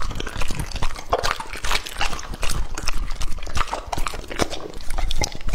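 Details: A two-and-a-half-year-old English-type Labrador named Lucky devours a raw meat meal; steady moist chomping, tearing and crunching, close and loud, with irregular bites throughout.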